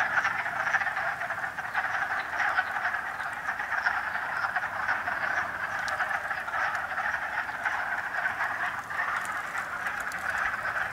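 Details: Male wood frogs (Rana sylvatica) call in a thick mating chorus at Ravenswood Park, Gloucester, Massachusetts, on 13 March 2016, short hoarse duck-like clucks overlapping into a steady continuous rattle.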